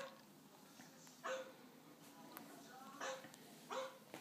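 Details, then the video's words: Puppy barking at a dog on TV: three short, sharp yapping barks spaced over about four seconds, with a quiet steady background hum between them. "Puppy barking at dog on Tv"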